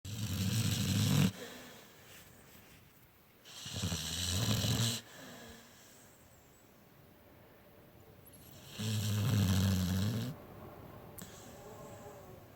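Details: Sleeping Pit Bull snoring indoors: three deep, rumbling breaths, each lasting over a second, spaced roughly four seconds apart with quiet gaps between.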